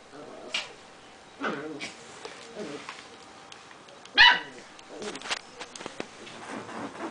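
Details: Prague ratter at play, giving short high whimpering yelps and whines in scattered bursts, with a sharper yip near the middle; a person talks quietly in the background.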